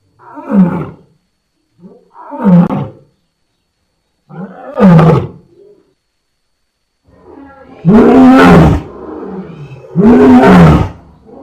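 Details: Lion grunting three times with falling, throaty calls, then after a pause two louder, fuller roars that rise and then fall in pitch.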